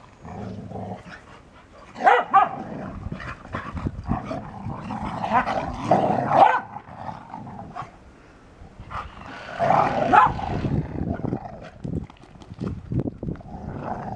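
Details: Wet beagle and dry English springer spaniel at play, with rough barks, low growls and grumbling bursts coming in irregular runs over about fourteen seconds.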